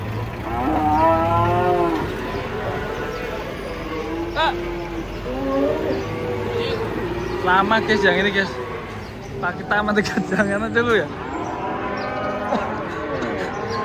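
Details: Huge cow coming down off a truck in Indonesia lets out a loud, rising-then-falling moo early on, followed by shorter lowing calls, while people talk and shout nearby amid outdoor bustle.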